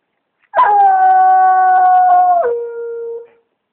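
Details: Redbone Coonhound treeing a raccoon up a palm tree, giving a loud, long drawn-out baying howl, held steady for about two seconds before dropping abruptly to a lower tone that fades out.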